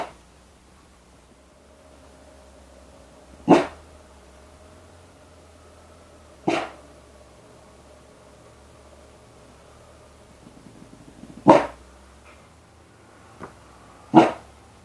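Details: Young puppy trying out its very first barks, sounding like a motor struggling to start: short, abrupt single woofs at irregular gaps of two to five seconds, with a faint steady hum between them.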